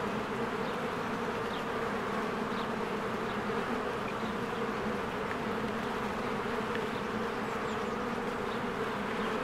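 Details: Busy honeybees at their hive during spring bloom: a constant low, humming drone from many insects in flight, steady in loudness, with scattered faint bird chirps overhead.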